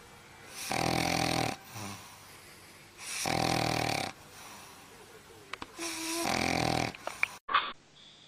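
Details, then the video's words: A sleeping dog snores indoors: three long, harsh, breathy rasps about three seconds apart, each roughly a second long, with quieter wheezy breaths between them and a brief clipped squeak near the end. "Snoring Dog"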